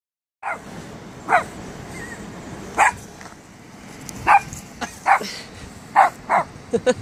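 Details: A five-month-old Cavalier King Charles Spaniel puppy barks at his first sight of the High Force waterfall. About eight sharp, high yapping barks come singly at irregular intervals of roughly one second, over a steady rushing-water hiss.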